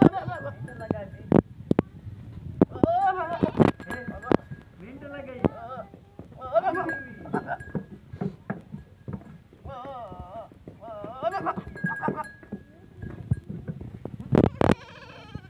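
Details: Goats in Punjab province, Pakistan, crossed with a teddy goat during mating: repeated wavering, tremulous bleats scattered through the clip, mixed with talking, sharp knocks and a steady faint tone.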